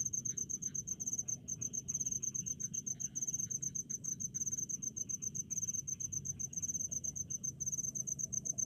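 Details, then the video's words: In rice paddies out in the countryside, crickets keep up a shrill, finely pulsed chirping in quick repeated bursts, with faint lower clicking insects and low background rumble. "SUARA JANGKRIK DI PESAWAHAN"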